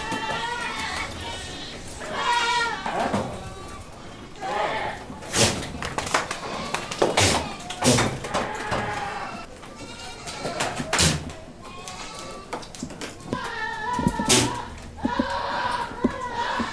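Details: Boer goats on a farm; repeated quavering bleats from several animals come in bursts, interrupted by loud knocks and clatter, with people talking in the background.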